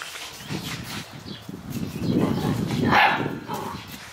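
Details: Spanish Mastiff puppy giving a short, sharp bark-like call that peaks near the three-second mark, after a stretch of low grumbling and rustling, with faint voices in the background.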